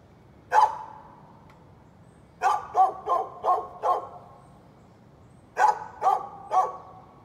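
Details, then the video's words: On 13 November 2020 a neighbor's dog lets out a single bark, pauses nearly two seconds, then fires off four rapid barks and, after another gap, three more. "Neighbor's barking dog"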